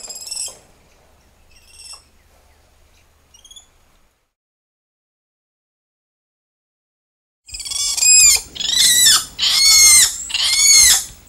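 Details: Spider monkey screeches: a few faint, thin cries, then a hush, then four loud, harsh, wavering calls in quick succession, each about a second long and rich in overtones.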